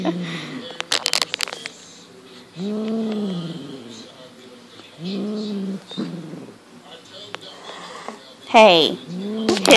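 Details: Monty, a six-month-old Highland Lynx cat, playing with a fox tail as his natural instincts kick in: drawn-out, arching low growl-yowls about a second long, repeated several times, with Dutch speech and laughter between them.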